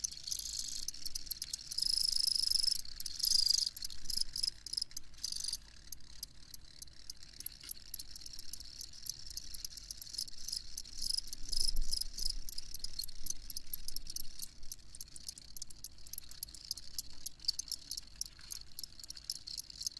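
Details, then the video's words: Chorus of field crickets, rapid high chirps stacked over each other, an early stretch of louder continuous trilling before settling into quick irregular pulses, with some low rumbling background. "Crickets Chirping"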